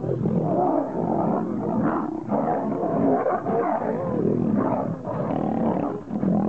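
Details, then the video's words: Wild male lions, two of them, battling for kingship: a continuous rough mass of snarls and growls, loud throughout with short dips between surging bursts. "Two Lions Fighting to became King"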